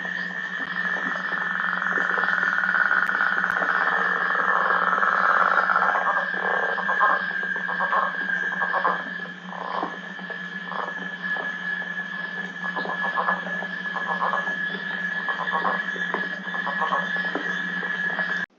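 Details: A male Northern Leopard Frog (Lithobates pipiens) in Michigan gives its spring breeding call, a slow, uneven, creaking snore with chuckles, in rain, with American toads trilling steadily in the background.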